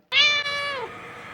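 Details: A domestic cat gives a single harmonic meow, an 'eeyo' that holds steady then falls, said to signal loneliness, illness, or wanting more food or attention.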